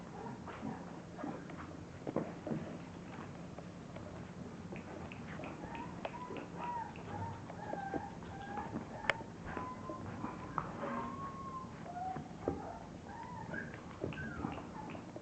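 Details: Litter of English bulldog puppies making many soft, high whines and squeaky whimpers that overlap throughout, some rising and falling, over a steady low background hum and faint shuffling.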